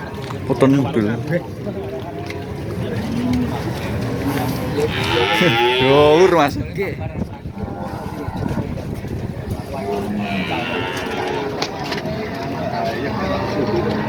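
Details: Cattle at the Pahing cattle market in Nganjuk, where one of the tallest animals is on sale: a drawn-out harmonic moo swells midway and then fades, over steady crowd chatter and market bustle.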